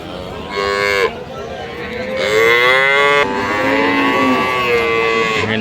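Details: Friesian dairy cows at Ambari cattle market: several loud drawn-out moos in succession, each a rich harmonic bellow, some ending in a downward slide, over background chatter of the crowded market.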